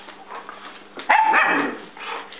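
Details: Chief, a German Shepherd, being antagonized in play by Pepe, a Basset-Lab mix; after a quiet start, one sharp harsh bark and a short growly tail in mid-clip, then a softer sound over a faint background hum.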